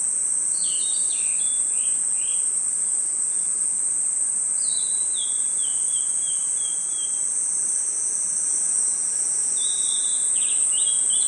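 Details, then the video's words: A constant piercing trill from crickets in a forest at night. Quick stepped, falling chirp series from another animal come in three bursts over the steady drone. "Crickets & Insects Chirping Sounds"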